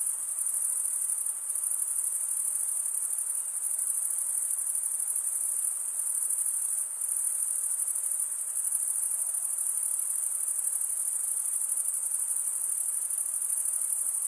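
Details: Crickets chirping by stridulation, males rubbing one wing's toothed vein against the other. The sound is a steady, very high-pitched shimmering trill that holds without pause for the whole stretch, with a faint hiss beneath and no other sounds.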